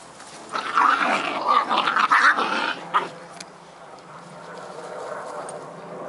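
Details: Scottish Terrier puppies Bonnie and Basil playing, a burst of rough growling and yappy barks over about two and a half seconds, then quieter low rumbling and background noise.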